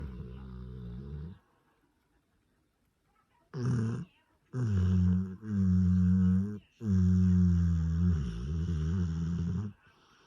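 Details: Sleeping Cane Corso, one of the grey pair Taira and Tessa, snoring in low, harmonic, droning breaths: a long snore, a pause, then three more drawn-out snores separated by short breaks.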